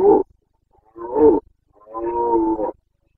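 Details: Rutting Carpathian stag in the Bucovina mountains, late September 2022, giving three deep, harsh roars in a row, each rougher and more drawn out than the last, the final one held for nearly a second.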